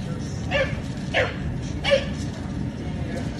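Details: Bulldog in India barking at a passing garbage truck: three short, sharp barks spaced roughly 0.6 seconds apart, standing out over a steady low engine rumble.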